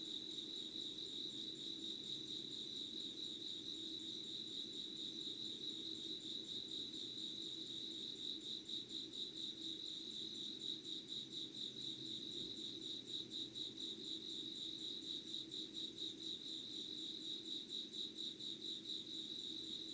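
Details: Unedited early-morning insect chorus, 05:00 on 25 August 2019: a sustained high trill pulses quickly and evenly for the whole stretch, layered over a faint low droning hum.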